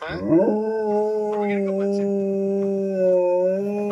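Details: Blitzen, an Alaskan Malamute reacting to a video of himself played indoors, opens with a short rising yelp, then holds a long, level, tonal howl with a slight dip near the end; faint human voices in background.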